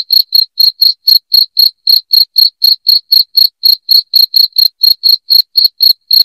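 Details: Loud cricket chirping from a track meant to drive rats out of the home: bright, even pulses about four times a second, each with a high overtone, in an otherwise silent background.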